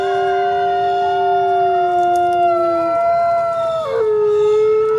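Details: Coyote howls as two held tones layered together, the lower one fading out near three seconds, the upper one sliding down and resettling at a lower pitch.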